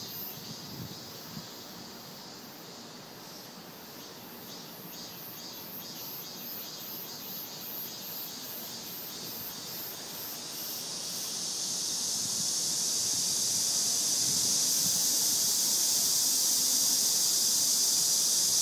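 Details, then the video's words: Cicadas singing in summer under tree shade: a high, shrill pulsing buzz throbbing at a steady rate, swelling into a louder continuous drone after about eleven seconds. "여름, 나무 그늘과 매미 소리 아래"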